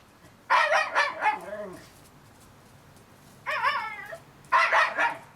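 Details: Thirty-day-old Shiba Inu puppies whimpering in three bouts: pulsing cries that slide downward into low wavering whines, one smooth quavering whine, and a final burst of quick yips.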